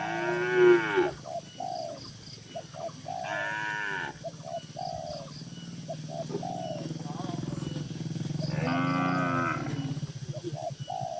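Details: Tame cattle in a busy farm barn holding dozens of cows, mooing: harmonic lowing calls near 0, 3.5 and 9 seconds, with shorter chirping calls and a steady low hum between them.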